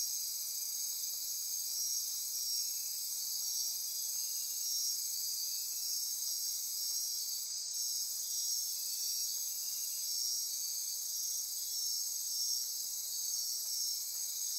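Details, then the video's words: Dense nighttime insect chorus in lowland forest of the Osa Peninsula, Costa Rica, near Corcovado National Park; high, even buzzing and throbbing trills persist throughout, with a short sharp click near eight seconds. "Midnight Insect Chorus"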